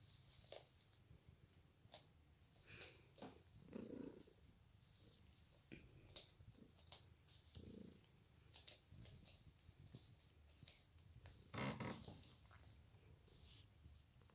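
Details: Two Ragdoll cats, Kyra and Lizzy, relaxing through a lazy day at home; a continuous low purr hums underneath scattered clicks, rustles and light taps from movement nearby.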